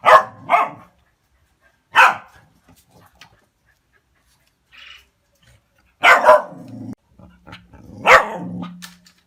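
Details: Dog barking when it sees a cat: sharp, rough barks coming singly or in quick pairs at irregular gaps, some ending in a low, drawn-out whine, with quiet knocks between.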